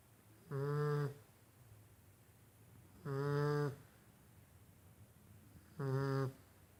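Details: A Golden Retriever puppy, sleeping deeply, snores in low, buzzy rumbles repeated every two to three seconds.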